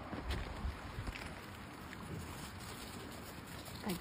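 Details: Quiet outdoor ambience with wind buffeting the microphone, faint low rumble and a few soft thumps, and no clear animal sounds.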